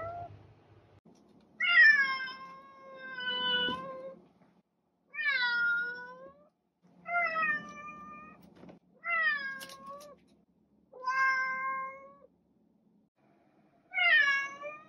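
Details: Insistent domestic cat meowing about seven times in a quiet room, the calls drawn out and wavering, dipping and rising in pitch, separated by short pauses.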